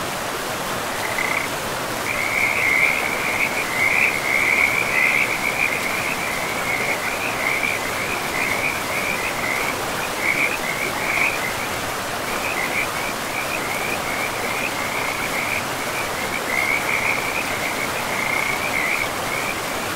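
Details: Frogs by a river in a pristine forest, calling in a steady run of rapid, rattling high notes that go on almost without a break for most of the stretch, over a constant loud rush of flowing water.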